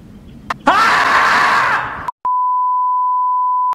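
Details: Groundhog (Marmota monax), scream.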